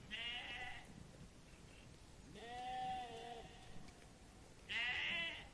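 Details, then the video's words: Sheep eating grass in a meadow bleat three times: a short call, a longer wavering bleat of over a second, and a loud final bleat, with faint rustling between. "The relaxing sound of sheep bleating and eating grass in the meadow"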